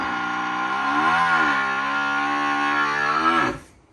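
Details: Farm water buffalo, a herd animal, restless after the rest of its group has walked away and its neck rope has become tangled. It gives a single long, low, drawn-out bellow of about three and a half seconds that dips and lifts slightly in pitch before cutting off abruptly.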